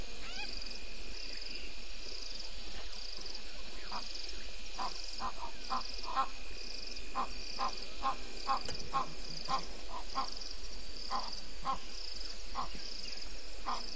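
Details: Bushbaby at Gowrie dam waterhole, Djuma Game Reserve, Sabi Sand Wildtuin, South Africa, on 02/07/19 at 04:35, picked up by a live waterhole camera: short croaky notes repeated irregularly about once a second over a steady insect drone.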